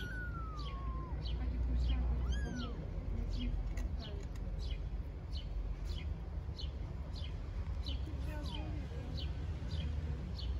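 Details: Stray newborn kittens in Istanbul venture outside their nest for the first time on a fine day, playing. One long falling meow opens, an arched meow follows, and another comes near the end, over steady repeated bird chirping and low background rumble.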